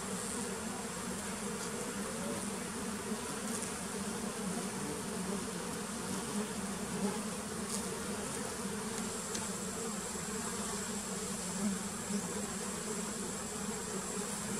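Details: Continuous low hum from wild Apis dorsata honeybees, an even, unwavering drone throughout with slight swells, occasional faint clicks, and a steady high-pitched tone in the background.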